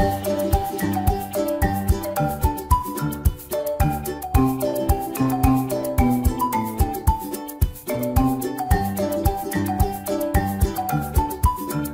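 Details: Bright mallet-percussion music, vibraphone and marimba tones over a steady bass beat, plays throughout with no animal voice.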